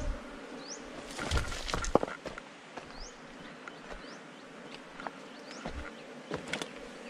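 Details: A forest colony of honey bees buzzing at their hive beneath rocks as it is taken for honey: a constant low hum underneath, repeated sharp clattering knocks, and brief high rising bird chirps scattered throughout.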